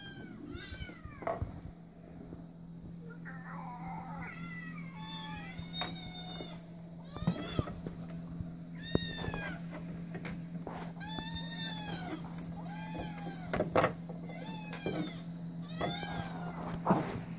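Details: Louis, a house cat, reacting to cat videos: many overlapping meows, arched and repeated every second or two, with clicks and a steady low hum beneath.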